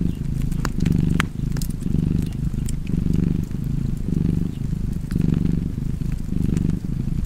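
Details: Low, vibrating cat purr rolling in rhythmic surges roughly every second, accompanied by bright snaps of a burning fireplace.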